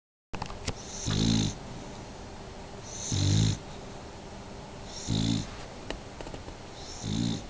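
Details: Pet dog asleep indoors, snoring in slow, regular breaths: four loud, rough snores about every two seconds, each with a low rasping growl and a faint hissing edge, over a steady background hum.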